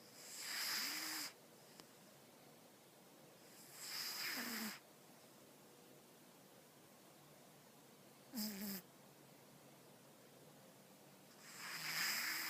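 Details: Cat snoring while asleep: four breathy, hissing snore breaths about every three to four seconds, each a second long with a faint low tonal whine, quiet between breaths.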